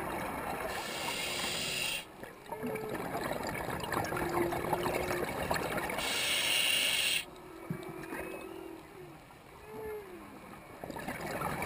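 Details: Humpback whale song heard underwater at about 100 ft while diving off Puako, Hawaii: drawn-out, mournful moaning tones that swoop up and down, broken by bursts of scuba bubbles.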